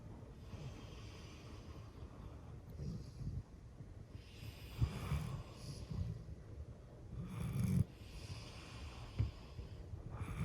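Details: Eleven-year-old female golden retriever asleep indoors, snoring in low, rumbling breaths that swell roughly every two to three seconds, each exhale ending in a soft, raspy rush, with no background music.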